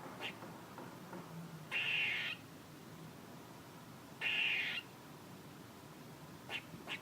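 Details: Squirrel noises: two rasping, breathy bursts roughly half a second each, about two and a half seconds apart, followed by a couple of faint short ticks near the end.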